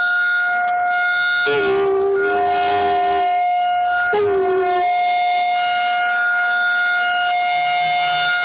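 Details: Jasmine, an American Bulldog, howls along with a tornado siren test: a long, steady howl lasting about two seconds, then a shorter howl that dips slightly in pitch, both over the loud, unbroken tone of the siren.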